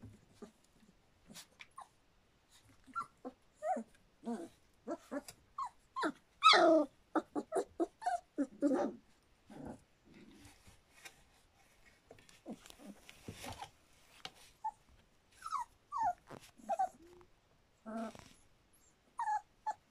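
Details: Standard Poodle puppies a little over three weeks old make soft scattered squeaks, whimpers and short grunts in an indoor litter, with faint rustling between calls.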